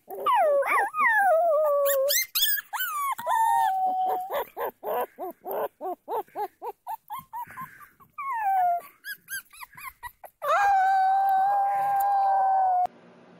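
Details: Puppies mixing sliding howls with a long run of quick, choppy yelps and barks, then a final steady, drawn-out howl held for over two seconds.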